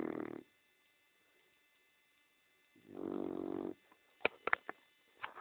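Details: Small female dog asleep in a nap: two grating, buzzy snores, the second longer, followed by a few quick sharp clicks and taps, with a faint steady hum underneath.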